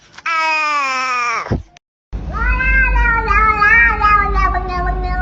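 A domestic cat gives two long, drawn-out meows, the first falling in pitch before a brief pause.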